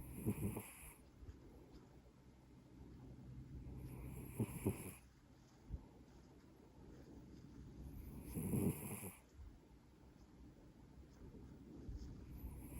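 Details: Maine Coon cat snoring: soft, low rasping breaths swell about every four seconds, each a short noisy burst, with a faint steady hiss in between.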